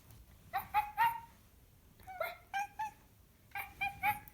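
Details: Cat uttering funny chattering noises: three groups of rapid, clipped chirps, each a tight cluster of two or three bright notes, separated by short silences in a quiet room.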